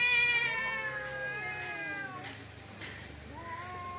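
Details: Fighting cat outside a house gives a loud, high, drawn-out yowl that slowly sags in pitch and fades, then a quieter rising moan starts again.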